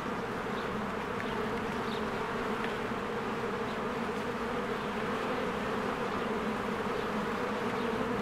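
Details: Bees working their hive in spring, crowds flying in and out, form an unbroken, rich buzzing hum. Several faint, short high chirps rise over the steady drone.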